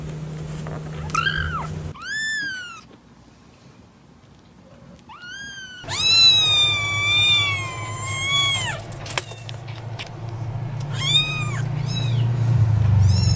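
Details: Kittens meowing in bursts: a few quick high mews, a quiet gap, then a long drawn-out wavering cry and more arched meows, with low rumbling background noise and hum.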